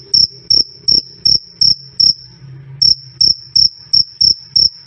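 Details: Cricket chirping, loud and clear, meant for training songbirds or as night-time company: high ringing pulses about three per second, a short pause midway filled by a faint low hum, then the chirps resume.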